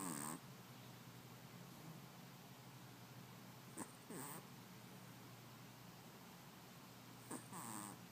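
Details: A sleeping Chihuahua puppy snoring quietly, with soft squeaky nasal whistles on some breaths, spaced a few seconds apart, over a faint steady background hum.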